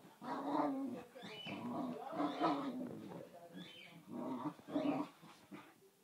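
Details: Two dogs, Kofi the Boxer and Kiko the Basenji, playing together: throaty, rumbling growls in rough bursts rising and falling, with short gaps between snarling rushes.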